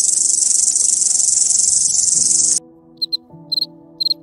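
A cricket's shrill, continuous high trill breaks off into sparse, sharp chirps over faint low tones.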